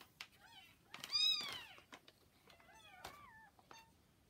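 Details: Around 40-hour-old kittens beside their mother Hana: sharp, high squeaky mews, one loud piercing cry in the middle, then falling wavering calls, with clicks and rustles.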